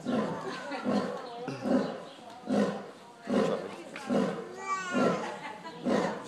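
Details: Lions at a wildlife sanctuary give a series of deep, rough grunting pulses about once per second. A man's voice speaks Spanish briefly over the calls.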